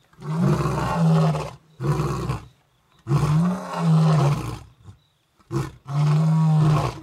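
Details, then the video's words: In Africa, two male lions call to the females with a series of deep roars, four long bursts and a short grunt in quick succession, rumbling and low-pitched. "Lions roaring"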